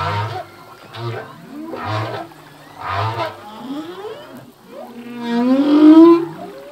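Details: Singing male humpback whale at sea: a rhythmic run of low pulsed grunts about once a second, followed by a rising moan that climbs into a loud wavering cry.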